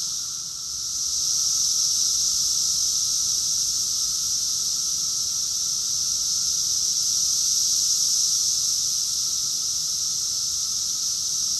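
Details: Summer cicada chorus recorded in Rockville, Maryland, USA, in June 2021: a dense, unbroken high-pitched hiss that rises in the first seconds and then holds steady, with a fainter, lower steady tone beneath.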